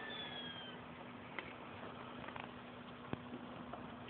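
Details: Hiccuping squirrel gives a thin, high whistle sliding downward at the start, the falling-bomb sound, followed by scattered soft clicks against steady low hum and hiss.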